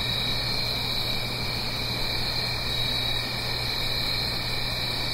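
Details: Crickets singing on an autumn night in the Blue Ridge Mountains, uphill from a gentle stream: a dense, steady high-pitched trilling chorus with no pauses, over a faint constant low hum.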